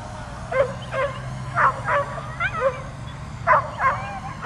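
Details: Dog barking and jumping up at a drone flying overhead, trying to get it; short sharp barks come in uneven clusters of two or three, about eight in all, over a steady low mechanical hum.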